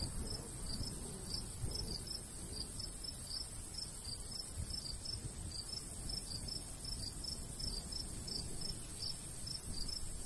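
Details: Crickets in summer countryside by a golden wheat field, light breeze; short high chirps repeated in quick, slightly irregular pulses over a steady high hiss and low rumbling wind.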